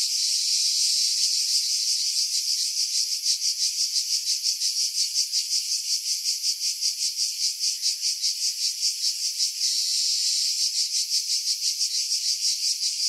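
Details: Cicadas in Skiros pines above Pefkos Bay, Greece, during July 2018; shrill continuous buzz, its pulsing strengthening in the middle then smoothing into a flatter drone, filtered of wind noise.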